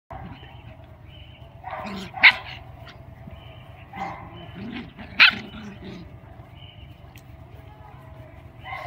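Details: Mrvica the Doberman at play with Kerry Blue Terrier puppies; a few sharp barks at irregular intervals, two of them loud and bright, separated by quieter stretches with a steady low hum underneath.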